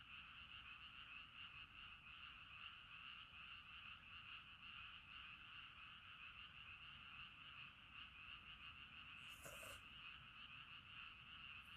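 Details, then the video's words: Frogs calling at night at a riverside campsite in Sapporo, Hokkaido, Japan: a dense, continuous chorus of overlapping trilled croaks in two steady bands, with a brief rustle near the end. "Falling Asleep to Frog Songs"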